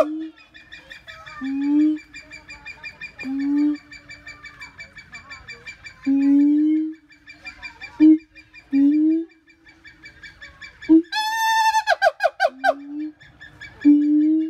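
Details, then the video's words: A siamang repeats low rising hoots every second or two over a steady droning tone, then breaks into a burst of loud, rapid, high whooping notes before returning to low hoots. "Voice of Siamang"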